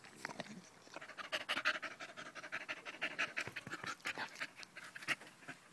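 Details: Loud, quick panting from Danco the dog, glued to a person's leg on 05.08.2013: harsh airy puffs at roughly three per second in uneven bursts.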